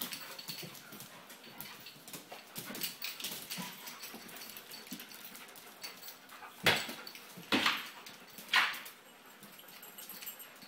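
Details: Two dogs playing excitedly while boarding in a home dog-sitting setting in Jerusalem, kept indoors without cages; breathy, noisy huffs and scuffling throughout, with three sharp, loud bursts close together near the end.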